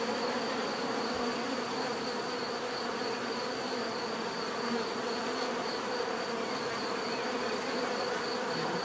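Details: Many bees hum together in an even, continuous drone with layered low buzzing tones, little variation in loudness and a thin steady high tone above.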